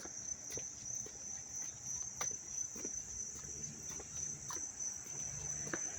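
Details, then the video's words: Crickets in Dobbs Ferry, New York, on a dry, warm, sunny day, August 19, 2025: a dense, continuous high-pitched trill pulsing softly, overlaid with occasional sharp ticks and clicks, little else audible. "sounds of the crickets chirping"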